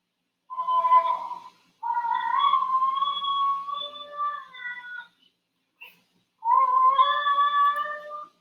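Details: Basenji (Canis lupus familiaris), yodel.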